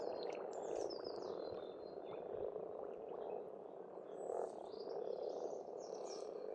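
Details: Spring frog chorus at a farmstead pond in Estonia, an unbroken churring mass of croaks that rises and falls, while several birds sing thin whistled and trilled phrases over it.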